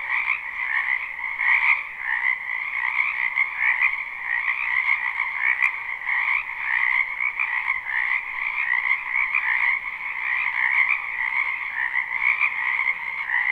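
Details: Frogs croaking in a spring wetland, live recording: a thick wall of rapid, rattling calls in two pitch layers, continuous throughout, with one faint sharp click partway through.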